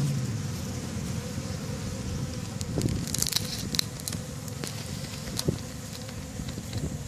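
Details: Busy honeybees flying outside backyard hives on May 1st 2013: continuous low droning buzz, with scattered clicks and brief higher crackles in the middle.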